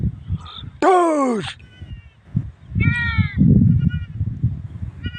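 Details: Goat and its kid: one loud, strained bleat that slides downward with a wavering tremor near the start, followed by fainter high, short bleats, with low rumbling noise between calls.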